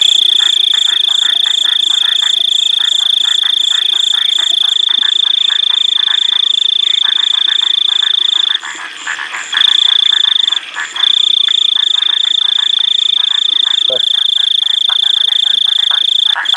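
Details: Painted chorus frogs (Microhyla butleri) give a rapid, rasping buzz of pulsed notes, repeated in a dense, steady chorus.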